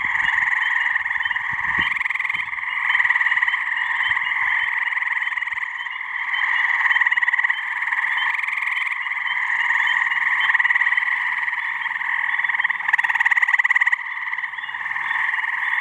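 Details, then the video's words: Dense chorus of male gray tree frogs calling to attract mates in a pond and swamp in New Hampshire on a warm mid-May spring evening; overlapping loud pulsed trills blend into a continuous roar, with a few short clicks early on. "Gray Tree Frog mating call"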